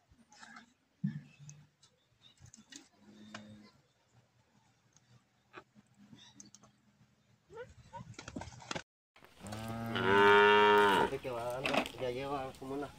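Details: Cattle, cows and bulls for sale in the countryside of cantón La Trinidad, San Miguel, El Salvador: after quiet stretches with faint low lowing and distant voices, one loud, drawn-out, wavering moo rich in harmonics lasts about three seconds near the end.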